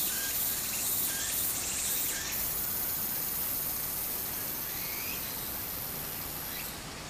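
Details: Cicadas droning high and steady at a stream in summer in Japan, water rushing beneath, with a few short bird chirps; the insect drone cuts off near the end.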